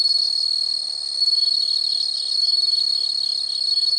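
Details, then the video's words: A chorus of insects heard in nature: a dense, steady high-pitched trill with a fast shimmering pulse, continuous throughout with slight swells in loudness. "the sound of insects"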